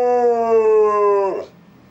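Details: Benny, a pet dog at home, who howls whenever the phone rings, gives one sustained howl with a rich, steady harmonic tone lasting over a second, then slides down in pitch and breaks off into quiet.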